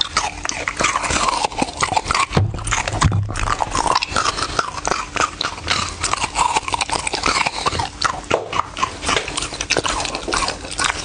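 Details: Crunching dog meal, steady wet chewing and snapping bites packed closely together, with short pauses around two and eight seconds.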